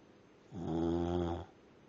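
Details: Charlie the dog, asleep, lets out one buzzy, rattling snore about a second long, swelling then fading, against quiet indoor background.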